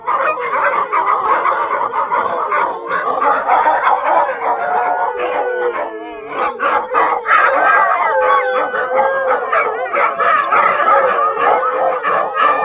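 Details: Siberian Huskies howling together at night, long sliding and wavering tones rising and falling, several dogs overlapping, with a brief dip near six seconds before the chorus swells again with yelps and whine-like notes.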